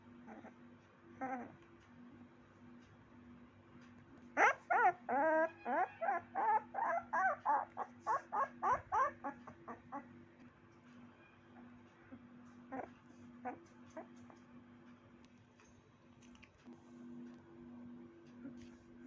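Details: A puppy bursts into a rapid series of about fifteen shrill, wavering yelps that slowly fade and slow down, followed by a few scattered quieter squeaks over a constant low hum.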